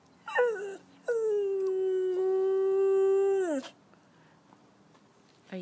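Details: Ali, a female rescue Chow–Golden Retriever mix, answers her owner's "can you howl" with a brief falling whine, then a sustained mid-pitched howl sagging slightly at the end; voice and soft music around.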